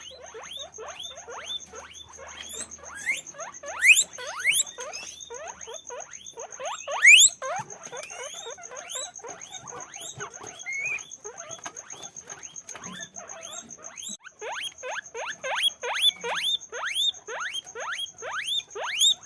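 Guinea pigs squeak in rapid, overlapping rising whistles, with a steady high electronic tone behind.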